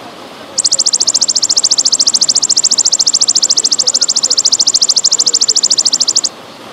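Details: A golden grasshopper gives a high, dry, trembling buzz of rapid, even pulses lasting several seconds, with trickling water in the background; this call is said to be heard in late afternoon and before dawn.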